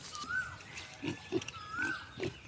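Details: Crossbred wild pigs on a farm being fed rice, 20 February 2023: a few short, low grunts, with a rising whistled tone heard twice in the background.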